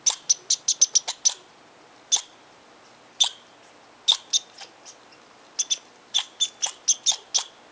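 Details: Tahosa Valley squirrel, angry at a person close to its tree, loudly chatters with a fast run of shrill chips, then spaced single chips, building again into a hurried, uneven series.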